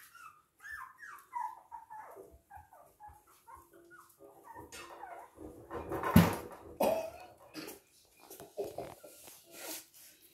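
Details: Toy and miniature poodles recorded in Hahnstätten on 19 February 2022 give a string of short falling whimpers, then a loud harsh burst like a bark around the middle, followed by more scattered whines and soft thuds.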